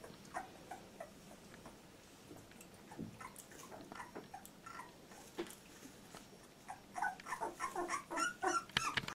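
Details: Litter J Labrador Retriever puppy at 14 days old: mostly quiet, soft scattered squeaks, then a burst of rapid high-pitched squeals and whines over the last two seconds, indoors.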